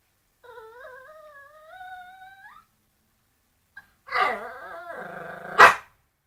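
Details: Domestic dog barking at a bone: a long, drawn-out whine rising in pitch for about two seconds, a pause, then a harsh, noisy bark sliding into a yelp, ending with a sharp click.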